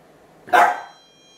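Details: Young dachshund hound barking excessively, recorded while first wearing a non-shock anti-bark training collar: a single sharp, loud bark lasting about a third of a second, with a faint high electronic tone continuing afterward.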